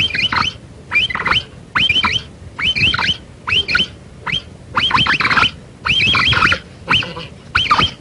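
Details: High, chirping capybara notes that rise and twist, each with a rough buzzy undertone, delivered in quick, uneven bursts with short silences between them over about eight seconds.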